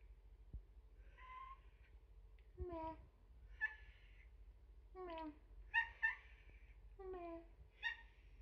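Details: Young rescued female kitten named Umeka, known for a near-silent meow, giving a series of soft, short mews with a falling pitch, some doubled, spaced about a second apart in a quiet room.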